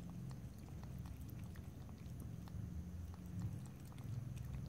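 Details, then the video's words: Domestic cat drinking water indoors, lapping and licking: soft, rapid wet clicks and ticks scattered through the whole stretch over a steady low hum, with no talking. "ASMR Cat: Drinking, Lapping and Licking Water"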